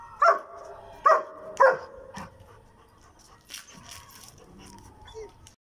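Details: Kiro, a German Shepherd, during an attack: three loud, harmonic barks in quick succession within the first two seconds, then quieter shuffling and faint voices in the background.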